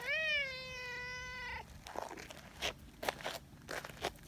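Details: Affectionate tabby community cat meowing for attention: one long, clear, tonal meow lasting about one and a half seconds, rising slightly then holding level, followed by soft rustling and clicking noises.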